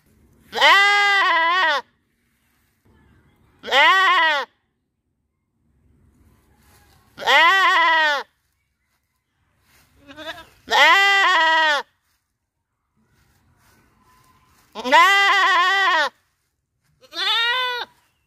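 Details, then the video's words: Goats bleat loudly in a riverside village, each wavering, nasal baa lasting about a second, repeated every few seconds. "Goat Sound, Wonderful Few Goat Sound Baa Baa In Village Rosulpur"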